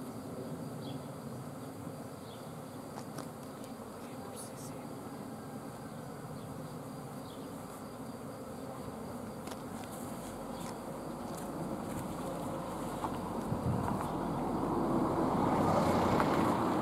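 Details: Swarm of bees in flight, a dense, continuous droning hum of many wings, low to mid pitched and steady, swelling noticeably louder over the final few seconds, with faint scattered ticks above.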